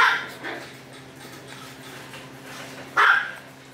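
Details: Two bright, high-pitched yips from Misty the Maltese, one at the start and another about three seconds later, separated by near silence.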